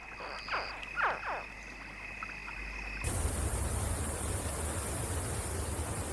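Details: A few soft, quick chirps from crocodile hatchlings in the river after their mother carried them there in her mouth, a contact call between mother and young.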